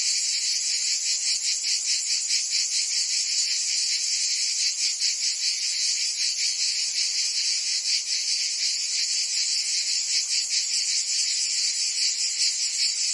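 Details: Summer cicada chorus in Provence, France: a steady, piercing metallic buzz, high and hissing, swelling and fading in regular beats roughly every half second, unbroken throughout and with no other sounds.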